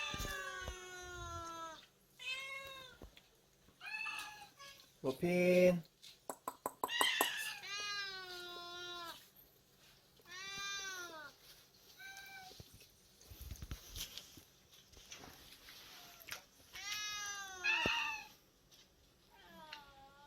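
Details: Cats at a small island-village shelter for around forty rescued cats and dogs, one noted for its pretty voice; many repeated high harmonic meows, some rising and falling, in a quick series with soft music behind.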